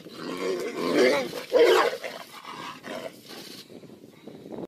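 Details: Tigers fighting: a rough, rising roar swells and peaks near the middle of the brief stretch, followed by lower broken growls fading away.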